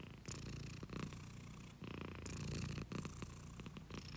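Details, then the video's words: A pet cat purring close up indoors, a steady low rumble broken into long breath cycles, each inhale and exhale phase lasting about a second, with brief gaps between breaths. "Free Purring Cat Sound Effect!"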